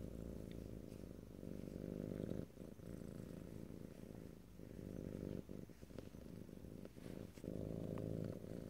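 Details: Close, ear-to-ear stereo purring from a pet cat: continuous low throbbing rumble broken by short pauses and soft clicks between breaths.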